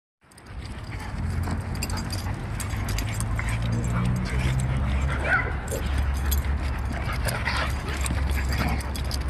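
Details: Dogs, including a Husky, in a scuffle while another dog calms the Husky down. Low, sustained rumbling growls rise and fall over several seconds, mixed with scuffling and brief higher yelps.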